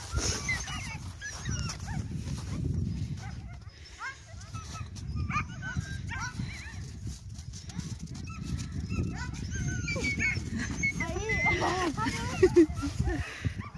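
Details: Greenland Dog puppies at their first encounter with other puppies, dated 5/6/17; high squeaky whimpers and short yelps, rising and falling, overlap throughout over low rumbling background noise, with a person's voice at times.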